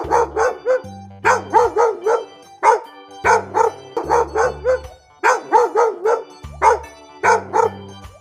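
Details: Pet dog barking in a children's lesson on domestic animals: short sharp barks in quick clusters of two to four, repeated several times, over light background music.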